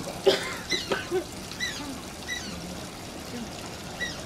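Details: Shishimaru, an Asian small-clawed otter at Oji Zoo, whines in quick high squeaks, several tight chirps bunched early then single thin peeps spaced out, against a continuous trickle of flowing water.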